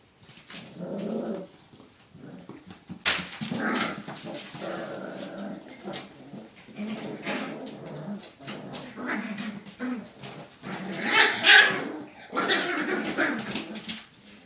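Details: Five puppies playing together: a busy tangle of short yips, squeaky barks and growly grumbles overlapping in uneven bursts, with louder sharp outbursts near the middle and end and scuffling noises between calls.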